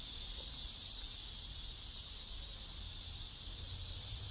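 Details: Cicada chorus from a neighborhood in South Korea, an unbroken loud buzzing hiss filling the high range without pause, over a faint low background rumble.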